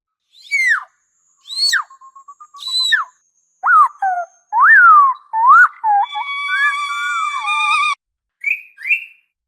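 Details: Orca underwater vocalizations: a rapid series of sharp downward-sweeping squeals and wavering tonal calls, then a long steady harmonic whistle and two short rising chirps at the end.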